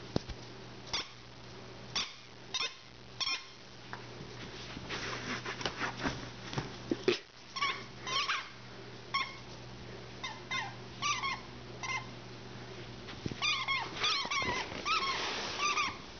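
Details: Eleven-month-old female Rhodesian Ridgeback playing with her tennis ball indoors: a long series of short, high, squeaky whines and yips, some rising then falling, repeated irregularly about twice a second, with a steady low hum behind.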